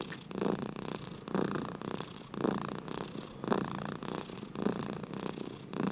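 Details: Dozing domestic cat purring and snoring, rhythmic low rumbling pulses about once per second, each swelling then fading with the breath, steady and unhurried.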